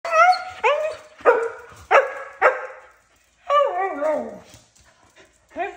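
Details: Two loud dogs, a corgi and a husky, barking. Short sharp barks come about every half second, then a drawn-out, wavering bark slides downward like a howl. One more bark follows after a brief pause.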